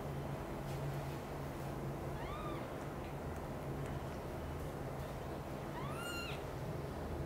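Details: Mother cat carrying kittens from another mother cat's nest to her own; two short rising-falling kitten meows, one near the middle and a louder one toward the end, over steady low background hum.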